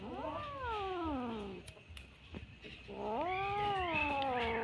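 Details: A Bengal kitten playing with string gives two long, strained meows, each bending upward then sliding down, separated by a short gap with faint rustles.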